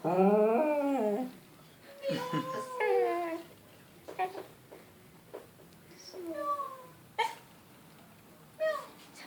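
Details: A female English Cocker Spaniel, howling on hearing the sound of a cat, gives a wavering, drawn-out howl, then shorter whining cries, with some human voices; English Cocker Spaniel.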